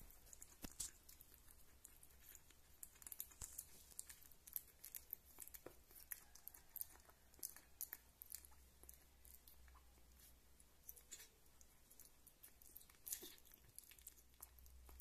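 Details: A kitten named Rita, described as a great food lover, chewing meat or lapping milk: a steady stream of small sharp wet clicks and smacks, closely spaced and uneven, at low volume throughout.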